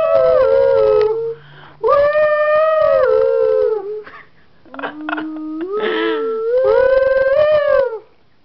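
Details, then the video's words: Miniature Schnauzer dog howling along to a tune played for it, sustained wavering tones held for a second or more, rising and falling between long notes, with short gaps between phrases. "Schnauzer Dog Sings"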